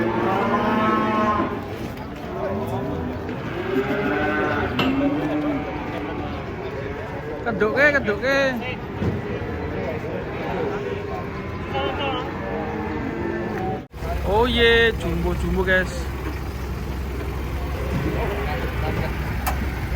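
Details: Giant cattle being unloaded, jumping down from a truck; repeated low drawn-out moos with rich harmonics, overlapping with voices and crowd chatter, a brief drop-out near fourteen seconds, then a steady low rumble.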